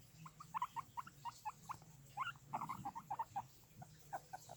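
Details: Guinea pigs calling, short squeaky chirps around mid pitch repeated in quick irregular bursts, some with brief higher overtones, over a low steady background hum.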